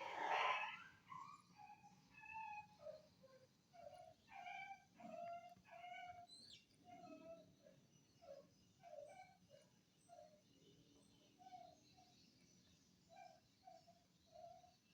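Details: Anjing kampung, an Indonesian village dog, filmed 18 November 2022, whimpering repeatedly in short, nasal, slightly rising whines, some doubled, after a loud opening thump, continuing steadily for fifteen seconds.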